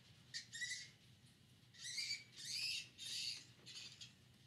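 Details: Flying fox at the Lubee Bat Conservancy in Gainesville, Florida, captured by a live bat cam on October 4, 2019: a series of harsh, buzzy, high squawks in five bursts, the last three longest, over a low steady hum.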